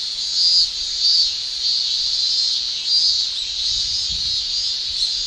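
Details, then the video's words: Cicadas of Japan in summer, males producing tymbal song: a steady high, hissing drone with a few louder surges early on and faint low thumps near the end. "Japan Summer Cicada Shrilling"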